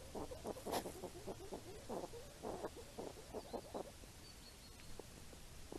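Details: Grunting wild hedgehogs searching for apples in the rain make irregular bursts of short, husky puffs, clustered in quick runs and then tapering to sparse single grunts, with a faint thin whistle high above toward the end.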